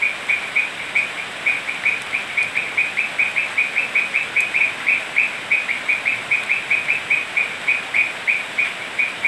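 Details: Toads call on a rainy night in Manu National Park, Cusco, Peru, giving a steady run of short, bright pulsed notes, about three a second, over rain hiss.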